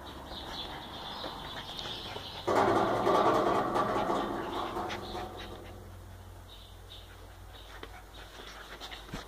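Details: Schnauzer puppies from the 2014 E litter, raised in a kennel. A sudden, loud, harmonic-rich whining cry lasts about two seconds, then slowly fades over a steady faint background hiss, with a few soft clicks afterward.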